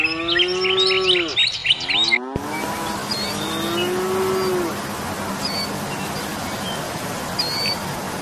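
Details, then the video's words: Cows on pasture: a falling moo cut off abruptly, then a second long, steady, low moo, with bird chirps early and scattered later over a hissing background. "COWS ON PASTURE"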